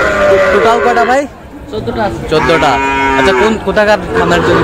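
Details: Sahiwal bull calves bought by a farmer in Kushtia on Friday, 9 June. Loud, drawn-out moos with rich harmonics, one long bellow and then several shorter lowing calls, with faint human voices in the background.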